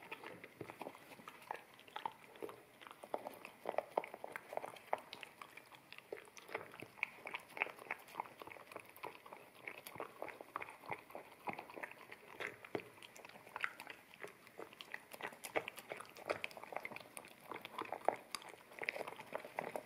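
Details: Wet kibble being chewed by an Akita puppy at a bamboo plate, stereo ZS100 camera recording; steady rapid crunches and moist smacks pile up without pause across twenty seconds, with occasional sharper bites.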